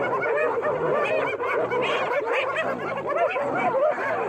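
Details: Spotted hyena pack mobbing a lioness in Kenya's Maasai Mara, filmed March 17: a frantic chorus of high cackling giggles and bent whooping notes, many animals calling over one another in a continuous uproar.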